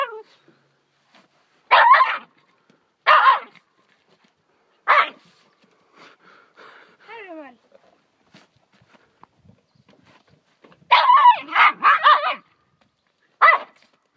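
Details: Small pet dog named Rummel barking at a fish while tearing it apart: short harsh barks in separate bursts, a quick cluster of four near the end, with long quiet gaps, faint thin squeaks between.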